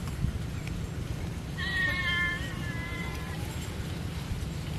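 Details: Cat being fed fish gives a single drawn-out meow lasting about a second and a half, clear and harmonic with a slight fall at the end, over a steady low rumbling background.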